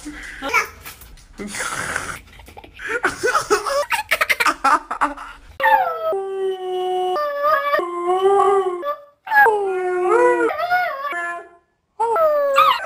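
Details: Siberian huskies in a compilation of funny husky clips: after a stretch of noisy clatter and voices, long wavering harmonic howls come in drawn-out, steady-pitched phrases with short breaks between them, some rising at the ends.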